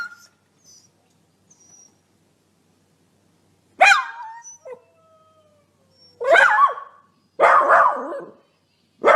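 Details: Dog barking: faint thin whistles and quiet tones for the first four seconds, then a sharp harmonic bark near four seconds, and two loud, drawn-out, wavering barks with a howling edge after six seconds.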